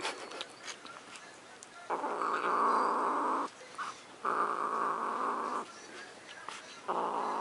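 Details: Pet cat Luna growls possessively over macaroni and cheese, a rough sustained snarl in three long bursts separated by short pauses, with faint handling noises between.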